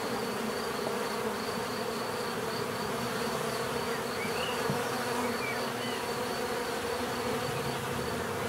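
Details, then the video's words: Continuous buzzing of bees, an even, unbroken droning hum with layered low tones, a thin high whine running throughout and a couple of faint distant chirps midway. "bees therapy relaxing natural buzzing sound"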